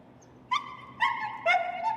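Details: Over-stimulated reactive dog whining during a training session: three short, tonal whimpers in quick succession, each a clear, slightly wavering note with bright overtones, against a quiet indoor background.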